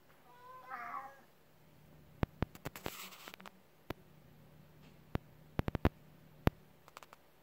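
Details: Cat indoors behind a sliding door meowing at a rabbit outside, wanting to get to it; one wavering harmonic meow, then a run of loud clicks and knocks with a faint hum underneath.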